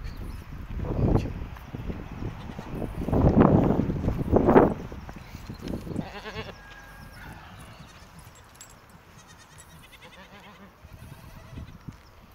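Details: Goats in a village in the morning, being let out of the barn and heading to pasture; several loud, wavering bleats in the first five seconds, then quieter shuffling and farmyard noise.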